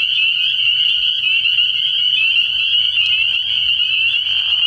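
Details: Early-year night chorus of spring peepers at a frog pond, a shrill, steady mass of overlapping high peeps, with a brief sharp click near the three-second mark.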